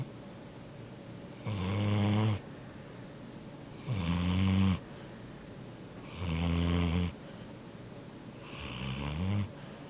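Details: Yellow Labrador Retriever asleep, snoring loudly indoors: four deep, rumbling breaths about every two and a half seconds, each a low throaty rasp lasting near a second, with quiet pauses between.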